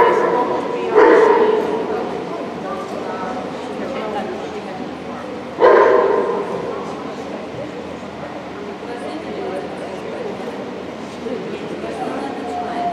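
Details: At the St Petersburg Cup obedience trial (Obedience-1), 11 February 2018, Border Collie Guy gives two strong barks about four and a half seconds apart, then a long stretch of quieter indoor crowd ambience.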